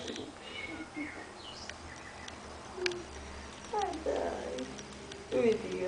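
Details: Cherokee, a young kitten being played with, gives a short meow that rises and then falls, preceded by a few faint squeaky mews, while people talk steadily close by.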